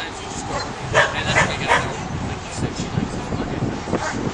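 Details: A young caramel Australian Shepherd barks while herding sheep. Three loud, quick barks come close together near the start, followed by softer scattered sounds. Human voices are in the background.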